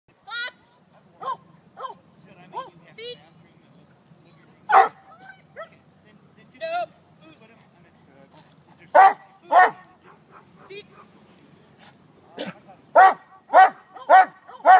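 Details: Male Neapolitan Mastiff in bark-and-hold and bite-work training: deep, harmonic single barks at scattered moments, then a run of four close barks near the end, with a person speaking between them.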